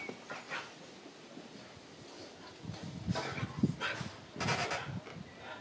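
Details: Unhappy Boxer puppy at the SPA animal shelter gives a few short, low whimpering and huffing vocal bursts, clustered near the middle and end, over a steady hiss of background noise.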